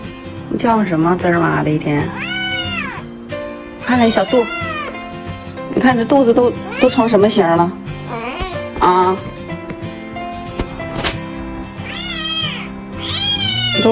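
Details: A tiny kitten gives loud, high, arching meows, asking to be petted, while a woman talks over music, asking whether it is still hungry and then telling it to stop crying.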